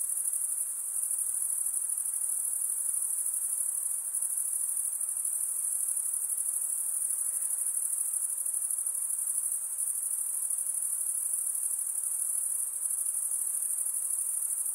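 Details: Night insects calling together, a dense continuous high-pitched shrill chorus that holds steady without pause, with a faint lower hiss beneath and no other clear sounds.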